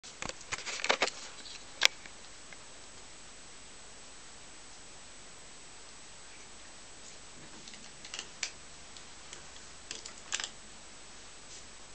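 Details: Quiet indoor room hiss with a few soft clicks and taps; no animal voice is heard.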